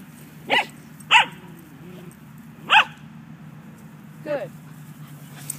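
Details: Doberman Pinscher puppy giving four short, high yelping calls with rising-falling pitch over about five seconds, spaced irregularly, with a steady low hum in the background.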